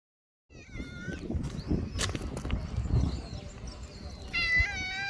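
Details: Young brown-and-white stray cat in a park or port in Japan, rolling over onto its back: a short high harmonic meow near the start, then a louder, longer, steady-pitched mew near the end, over outdoor background noise.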